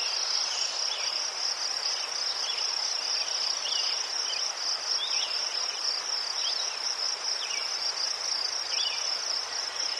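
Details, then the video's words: Crickets chirping in Ukraine beside chrysanthemums: an unbroken, evenly pulsed high chorus over ten seconds, joined by scattered brief downward chirps from another small caller. "Заспокійливий звук цвіркунів//The soothing sound of crickets"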